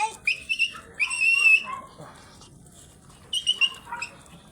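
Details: Teacup white Pomeranian stud during its first mating session in Mangaldan, Pangasinan, giving high, thin, tonal whines in three short bursts, the middle one held longest, with a faint voice and low background murmur between them.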